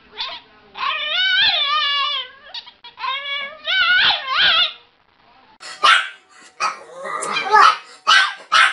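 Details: A dog gives two long, quavering whines with rising and falling pitch. People's voices and excited chatter then take over for the second half.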